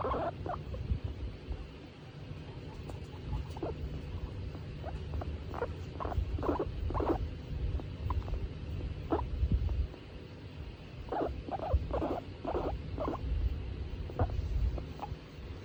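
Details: Skinny guinea pig named Tomato, a female pet, in a good mood while being stroked; short soft chirping squeaks in bursts, several quick in a row around six and eleven to thirteen seconds, over a steady low rumble.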